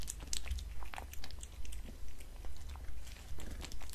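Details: Pet cat indoors eating dried fish, creamy treats and cat food from a glass table; crunchy, wet chewing and biting bursts repeat at a steady rhythm about every half second, close and clear, with no other sounds.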